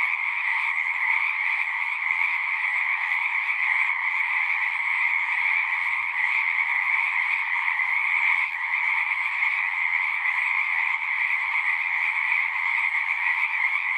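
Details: Pond frogs in a horse pasture, recorded with a Zoom 6, form a thick continuous chorus of shrill overlapping trills at two stacked pitches, steady in loudness from start to finish with only a slight flicker of low rumble.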